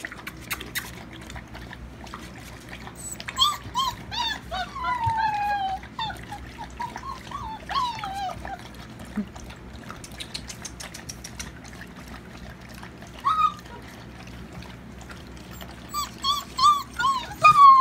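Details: Alaskan Malamute puppies whimpering: high, wavering whines and short yelps, many rising then falling, coming in bursts from several pups with quiet gaps between, and a faint low hum behind them.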